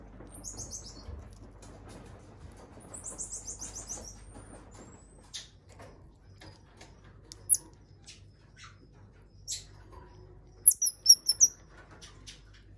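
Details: An elderly female common marmoset at a zoo, balding and white-furred, gives very high, thin trilling chirps, then sharp squeaky tsik notes.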